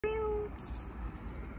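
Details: Stray cat on a street where a hungry kitten is being fed beside a somewhat aggressive big cat; one short, steady, level meow of about half a second, then faint rustling and near quiet.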